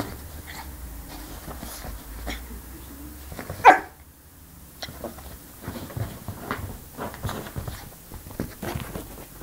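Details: A single short yap from Benny, a Yorkie puppy recorded indoors in Samsun, Turkey, lands just before the four-second mark, surrounded by soft scuffling, pawing and rustling sounds.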